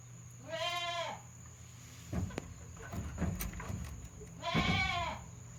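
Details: Goat kid poking its head out at a handmade goat farm on 22 June 2022, giving an odd voice: two wavering, nasal bleats a few seconds apart, with rustling and knocking noises between them.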